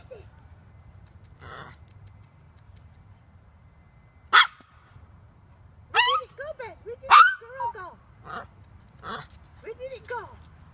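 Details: Male toy poodle at a park while chasing a squirrel: two sharp, loud barks several seconds apart, then a run of short rising-and-falling yips, with people talking throughout.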